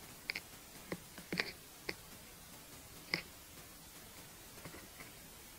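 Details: Longhorn beetle (フタスジカタビロハナカミキリ) eating cabbage, close-miked: scattered dry crisp clicks and crunches at irregular intervals, about six distinct bites over a quiet background.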